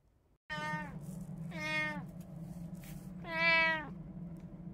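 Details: Domestic cat from a household of three cats, recorded 26 October 2023, giving three drawn-out, tonal meows about a second apart. The last is loudest and longest. A steady low electrical hum runs underneath.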